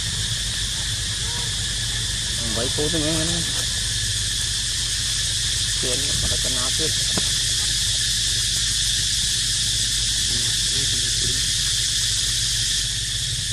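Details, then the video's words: Continuous high cicada buzz, with a baby monkey nearby. Short squeaky squeals and murmured human voices rise briefly over the drone early and midway. "Amazing Sound Of Cicada Crying"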